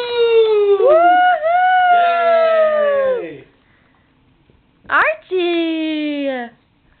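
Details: Archie, a French Bulldog, gives long, drawn-out whining moans that slide downward, with a brief yelp between them, after getting a new bone on Christmas morning.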